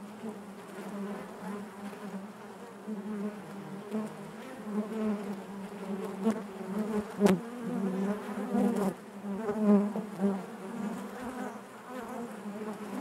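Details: Inside a honey bee hive: a constant low, many-toned hum with ripples of louder buzzing in the second half and a single sharp tap partway through.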